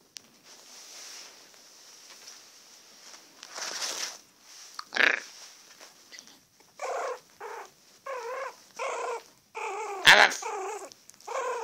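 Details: Yorkshire Terrier. A young Yorkshire Terrier yaps in quick, thin, high-pitched bursts, each under half a second, in an uneven string. A woman's voice coaxes it in between, once imitating a bark herself.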